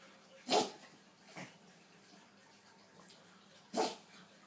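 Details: Pug sneezing: two sharp, explosive bursts of breathy noise about three seconds apart, with a softer snort between them, over a quiet background hum.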